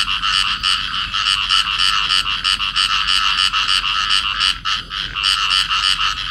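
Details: Field frogs calling as a pair in amplexus, recorded in Cầu Kè, Vietnam; rapid grating croaks at about three per second, steady and loud, briefly faltering near five seconds.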